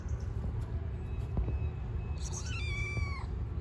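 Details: Hungry stray cat living on the street, fed by a person; one clear rising-then-falling meow near the end over low traffic-like rumble, with brief human speech nearby.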